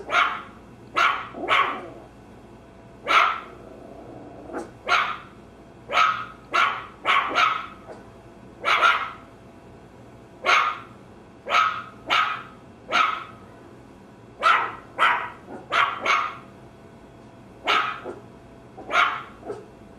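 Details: Maltese terrier barking steadily over twenty seconds: sharp, high, snappy barks in irregular bursts of two to four, about two dozen in all, with short pauses between.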